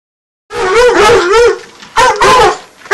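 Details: Two nine-month-old Redbone Coonhounds baying while treeing: loud, drawn-out wavering bawls with a mid-pitched quaver, two bursts separated by a short pause.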